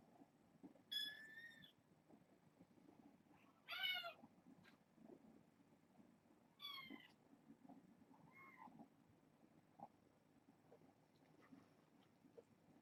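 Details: Small kittens at bedtime mewing in short high calls, three clear meows spaced a few seconds apart followed by fainter squeaks, in a quiet indoor room.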